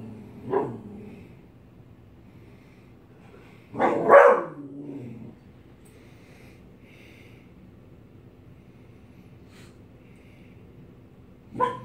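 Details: Dog afraid of a mask gives scattered barks and huffs: a short one early, a louder double bark around four seconds, then a long pause before a final brief bark.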